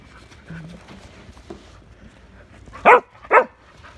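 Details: Sheltie dog playing with a shovel and barking, 1/30/22; after quiet talking, two abrupt loud barks come close together near the end, under half a second apart.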